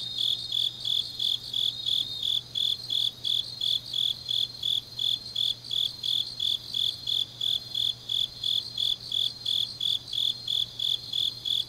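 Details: Grass insects on a deep autumn night in Changnyeong, South Gyeongsang, South Korea, sing high, thin chirps repeated about three times a second in a steady rhythm.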